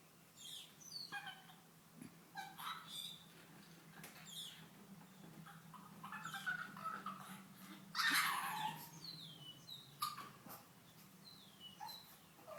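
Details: Female pug Cali, unhappy at being laughed at, gives a string of brief high whines and snorts, with a louder rough squeal around the middle and more short whimpers after.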